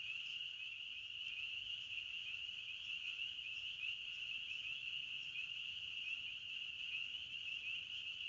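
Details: A forest cricket chorus: steady, shrill, continuous trilling from many insects at an even loudness, with no birds or other sounds heard.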